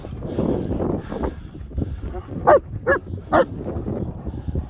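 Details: German Shepherds Nico and Zeeva outdoors in the hills near Hawick; three short, sharp yelps spaced about half a second apart after a stretch of low rumbling and a man's voice.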